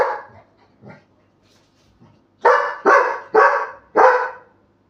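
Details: Labrador Retriever Buddy, told to bark close to his sleeping father's face, makes a few faint soft sounds first, then four loud, regular, hoarse barks about half a second apart.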